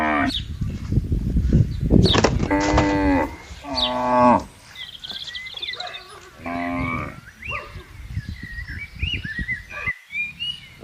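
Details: Herding cows roaming in a palm oil plantation: overlapping moos from several animals over rustling, low rumbling noise of movement, with bird chirps between the calls.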